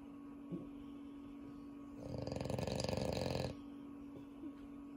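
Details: French Bulldog snoring indoors at home, one of a household of dogs including Unio: a single rattling, pulsed snore lasting about a second and a half between quiet stretches, with a steady electrical hum throughout.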